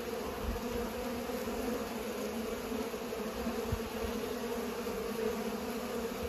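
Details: Bees pollinating, a steady droning hum of many wings with bright bands around the low midrange, holding constant with no breaks and only faint low rumbles beneath.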